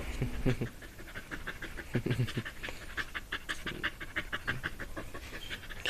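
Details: A dog pants hard, like a puffing steam train: quick, regular breathy chuffs repeating several times a second, some with low throaty grunts, continuing steadily throughout.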